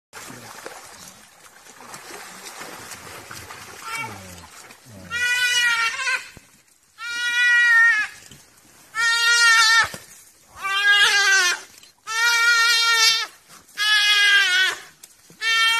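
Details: A duiker being pulled out of the water by African wild dogs gives loud, harsh, bleating cries of distress, repeated about every two seconds.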